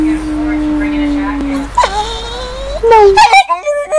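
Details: Female pet dog vocalizing in her 'talking' manner: a long steady tone ends, then wavering and rising tonal moans follow, breaking into short yelping, yodel-like notes at the end.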